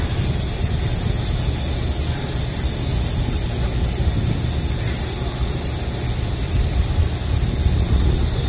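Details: Midsummer cicadas singing amid a heatwave, an unbroken shrill buzzing drone steady throughout, with heavy low-frequency rumble from wind or passing traffic.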